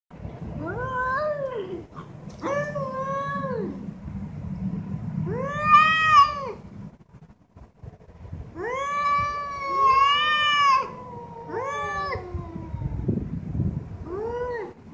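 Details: Domestic cats meowing back and forth in an exchange: arched, harmonic-rich meows in bursts, some short and some drawn out and wavering, with a low rumble beneath.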